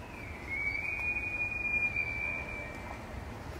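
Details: A rutting bull elk bugles in a Yellowstone forest before sunrise, heard from a roadside in the distance: a long, high, thin whistle that holds steady and rises slightly before fading.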